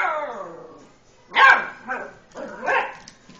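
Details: Lucy, an eight-week-old Beagle puppy frightened of the tom cat Itty Bitty, lets out a fading, falling whine, then three short, high, yappy barks about half a second apart in a quiet room.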